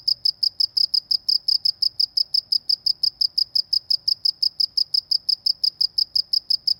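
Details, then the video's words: Cricket in the countryside, chirping steadily in short bright pulses at about four to five per second, each pulse high-pitched and ringing, the rhythm unbroken through the whole stretch over a quiet background. "suara jangkrik di pedesaan"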